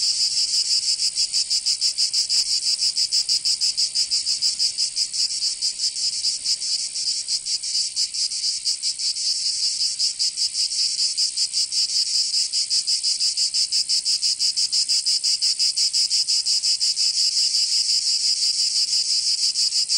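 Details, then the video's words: Provençal summer cicadas in the south of France make a steady wall of high, buzzing song. Rapid throbbing pulses wax slightly and then steady over twenty seconds, with no other sounds. "Canto Cigarra 🦗 [ Escuchar les cigarras en verano 10 H]"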